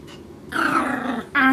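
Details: Tucker, a Maltese puppy chewing on a rug while being scolded, gives a drawn-out, growly bark and then a sharper, higher yap; recorded 10 April 2014, Plainfield/Naperville, Illinois.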